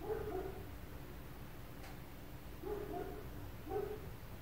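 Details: Dogs belonging to apartment neighbours give muffled barks, a quick cluster at the start and then two single barks about a second apart near the end, over a constant low hum.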